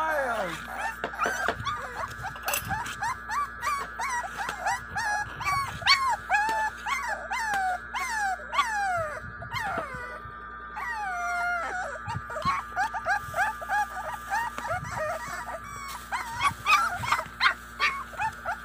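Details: Five-week-old American Bully puppies (Warg and Sake) in a feeding frenzy give a rapid string of high, bending whimpers and squeaks, rising and falling, over a steady background hum with a few clicks.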